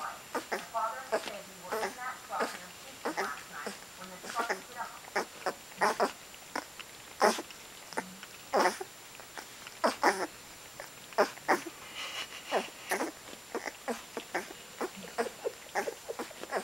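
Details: Two-week-old Otterhound puppies nursing on day 12, indoors. Short sharp squeaks and suckling clicks come in an irregular stream, with a few brief whining tones near the start and again later.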